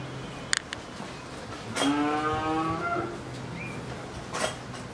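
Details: Two-tooth Pakistani Sahiwal bull, about 24 months old, kept for sale ahead of the 2022 Qurbani in Pabna, Bangladesh; a single drawn-out, harmonic low moo lasting over a second, with a brief higher squeak after and clicks and thuds around it.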